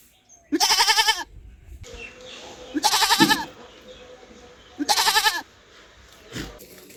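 A goat gives three loud, wavering bleats about two seconds apart, each lasting around half a second, over a low background hum.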